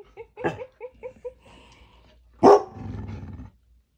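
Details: Pet dogs, a labrador, bulldog and beagle mix, kept at home during work-from-home days: a run of short high yips followed by one loud deep bark trailing into a rough growl.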